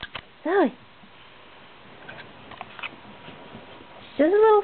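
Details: Pet Shiba Inu, a female dog, gives weird sounds inside: a short rising-then-falling harmonic whine, quiet rustles and faint voice, then a longer, higher, wavering squeal-like call closing the stretch.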